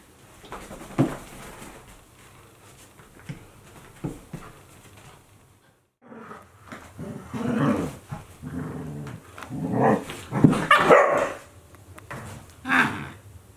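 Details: Akita Inu pair Aala, 14 months, and puppy Olavi, 2 months, at play in 2023; scattered soft grunts, then a lively stretch of low growls and short yelps, several loud bursts near the end.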